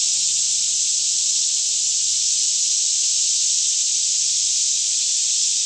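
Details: Forest cicadas near Franklin, Kentucky, in a daytime chorus at about 10am with fairly still air; a constant bright, hissing buzz without pauses or pulses dominates, with a faint low-pitched hum in the background.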